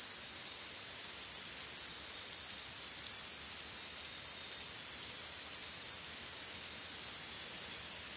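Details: Cicadas chirping in a Greek forest make a constant sharp electric buzz, with broad swells in volume every few seconds over a rapid vibrating pulse; no birds, voices or other sounds stand out.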